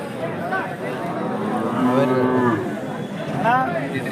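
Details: Hallikar cattle at the KG Temple cattle market on 24 November 2025: a short, steady low moo near the middle, then a brief higher rising note, over constant market chatter and voices.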